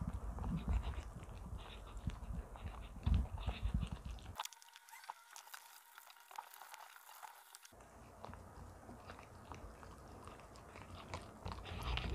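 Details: Richie, a young pet Arctic fox kept indoors, eats greedily alongside Stella; its diet is a mix of dog and cat food with cooked ground duck in the evening. Irregular wet crunching and biting, with a steady low hum and a brief quieter gap midway.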